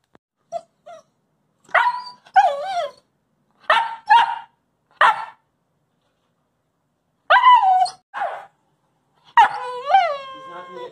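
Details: A young coastal wolf puppy gives short, high barks and yodelling yips in uneven bursts, chattering for treats without being told to speak while his owner tries to eat, in the afternoon; wolfdog.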